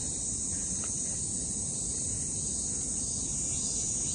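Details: A chorus of cicadas, possibly several kinds, on 29 July 2024 gives a continuous, shrill, hissing buzz with no pause, blending into one unbroken wall of sound over the low rumble of distant city traffic.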